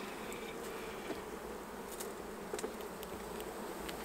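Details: Honey bees at their hives during a honey harvest, a steady low droning hum with two even tones, broken by faint clicks and knocks of handling the hive equipment.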